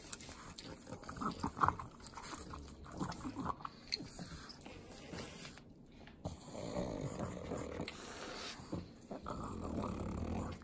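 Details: Butter is licked up by three pug dogs in Southern California's Inland Empire. Scattered lapping clicks, a short pause, then heavier snuffling breaths and wet licks resume and grow louder.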